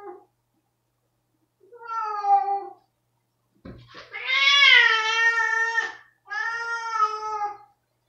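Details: ['Angry pet cat Rosetta, upset after a spot-on pipette against fleas and parasites, utters a series of long, harsh, strained yowls, the middle one loudest and over two seconds long, with a brief thump before it.']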